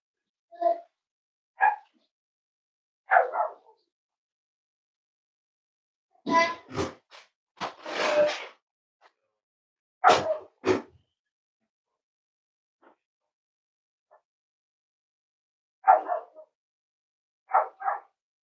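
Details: Nearly eight-week-old Cavalier King Charles Spaniel puppies at home produce brief tonal barks and yelps, single or in quick pairs, with a louder noisy cluster midway and silent stretches between the calls indoors.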